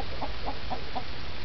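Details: A toad that hops around a yard at night eating bugs gives four short, croaky chirps in quick, even succession over a low rumble; it makes this noise when picked up.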